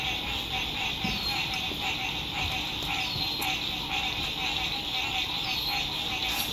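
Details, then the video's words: Lakeside frog chorus at sunset during spring 2021 RV camping in good weather: many frogs produce a continuous shrill, pulsing trill, with a few faint sharp clicks and light background hum. "Sunset Frog Songs"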